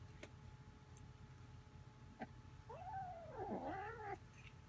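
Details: Domestic cats, a rescued kitten and an older resident cat, play-wrestling indoors; a drawn-out wavering yowl rising and falling over about a second and a half, preceded by a few faint clicks and thumps against low room hum.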